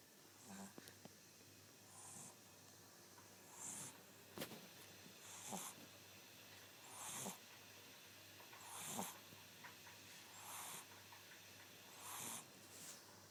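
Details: Elmo, an 11-week-old Shih Tzu puppy, napping at his grandma's house and snoring: soft airy breaths with hissy wheezing peaks, repeating roughly every one and a half to two seconds, with a faint low hum beneath.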